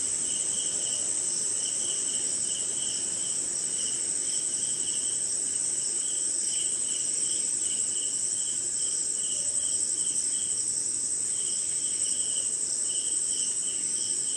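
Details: Jungle swamp somewhere in India on a rainy night, crickets and other insects singing together; an unbroken high buzzing trill overlays lower pulsed chirp bursts that pause briefly now and then, with soft falling rain throughout.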